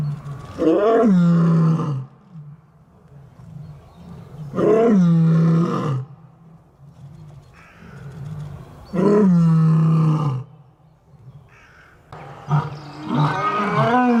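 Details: Lion roaring in a series of four deep, guttural bouts about four seconds apart, each a loud harmonic-rich roar with a strong low fundamental, separated by quieter breathy pauses; no other sounds.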